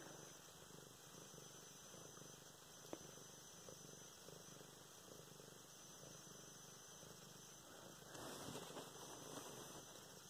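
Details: Luna the cat purring while being petted, filmed November 24, 2016; a steady, soft, low rumbling purr runs through the whole stretch, with a brief click early on and louder rustling from handling near the end.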